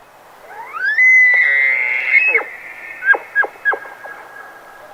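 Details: A bull elk gives its territorial mating-season bugle, resonated from deep within and through the nose: a breathy whistle that climbs steeply and holds at a piercing pitch, then several quick, dropping grunts.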